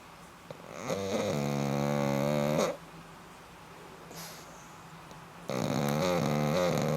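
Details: Snoring black pug indoors, giving a long buzzy rasping snore of nearly two seconds, then a quiet pause with soft breathing before the next harsh snore begins.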